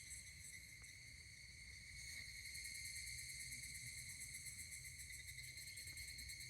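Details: Steady, buzzing high chorus of higurashi cicadas recorded 12 August 2024 near the Kanameishi stone at Kashima Jingu, Kashima city, Ibaraki Prefecture, Japan; fine rapid pulsing sits on top and swells slightly midway, with faint low background hum.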